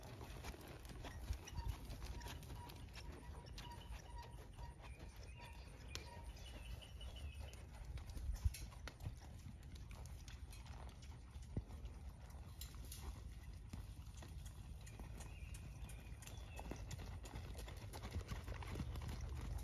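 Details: Hooves of an 11-year-old blue roan registered Quarter Horse gelding clip-clopping in a steady, soft rhythm over a deep low rumble, with faint scattered knocks throughout.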